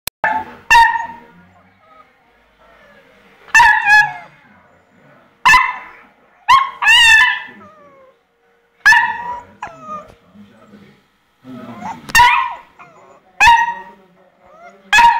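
A Labrador Retriever gives loud, sharp barks in short bursts separated by brief pauses.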